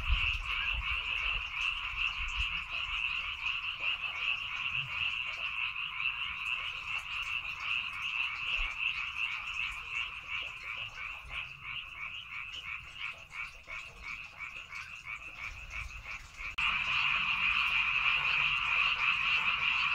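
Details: Dense frog chorus in rice paddies on Baengnyeongdo Island, Korea: rapid pulsing croaks about two to three per second, steady for twenty seconds, growing louder and fuller near the end.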